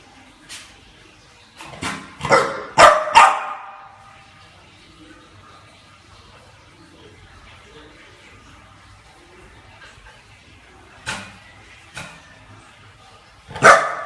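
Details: Chow Chow dog barking: a burst of four or five sharp barks early on, then a long quiet gap before a few isolated barks near the end.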